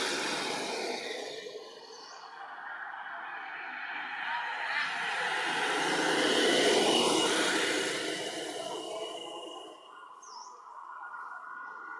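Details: Broad rushing noise like wind or passing traffic swells and fades, with no animal calls heard.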